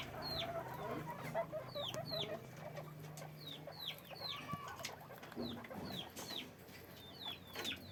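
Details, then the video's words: Caged guinea pigs on a farm giving repeated squeaks, sharp descending whistles about two per second, several callers overlapping, with soft rustling and a low mechanical hum below. "guinea pig sound, guinea pig noise, guinea pig cage, sequeaking"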